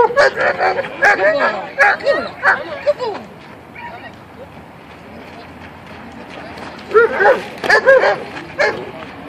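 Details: German Shepherd dog in attack training, being taught to attack only on command; bursts of sharp, harmonic barks over the first three seconds, a quieter pause, then another run of barks near the end, with a man's voice.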